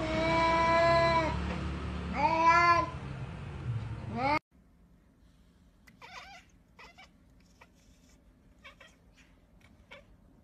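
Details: Two clear, wavering cat meows fill the first four seconds, the second bending upward, then the sound cuts to near silence with faint scattered clicks.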